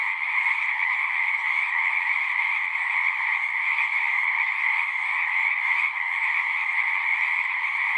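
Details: Zoom 6 recording of frogs singing at a horse-pasture pond. A thick chorus of high, rapid trills forms a steady ringing hum at even loudness, with one brief dip near the sixth second.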